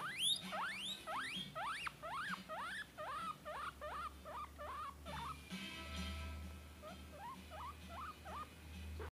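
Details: Peruvian guinea pig baby squealing after hearing guinea pig recordings: a long series of shrill whistles, each sweeping up then down, starting strong and slowing, with a low hum beneath.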